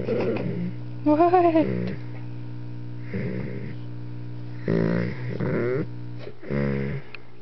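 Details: Indoors, a 125-pound two-year-old Doberman Pinscher named Alyuss grunts and whines as puppy Nerria, nearly four months old, annoys him: a quavering whine, then several gruff low grunts in separate bursts, mains hum underneath.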